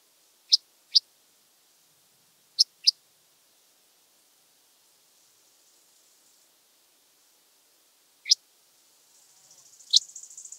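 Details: Oedipoda germanica, the red band-winged grasshopper, recorded in Mörnsheim, Germany, 14 July 2023, noise-reduced: a few crisp high clicks, two pairs early, then a lone tick, ending in a soft high rasping buzz.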